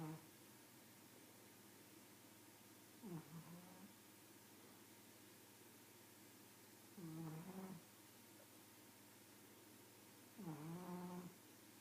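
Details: Snoring pug: three rasping, nasal, humming breaths spaced about three to four seconds apart, each a short throaty drone with a slight rise, over a steady quiet indoor background.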